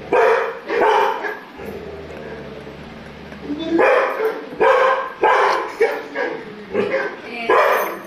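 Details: Labrador Retriever barking while reacting to a TV picture; two barks open, then a pause with a low hum, followed by a run of rapid, loud barks.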